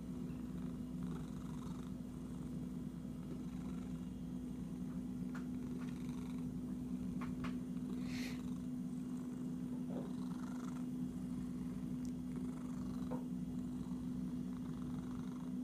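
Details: Continuous low, even purring from an itchy pet cat, with scattered soft clicks and one brief brighter scratch-like sound partway through.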